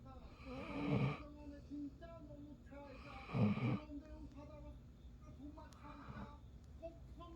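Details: Sleeping Golden Retriever snoring indoors: two loud rasping snores about two and a half seconds apart, then a softer third, with low hum beneath.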